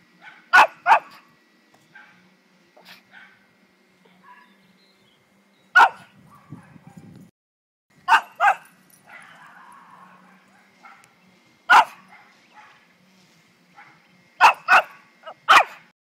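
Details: A Pekingese puppy barks excessively and nonstop for over a minute: sharp, high yapping barks, often in quick pairs or triples.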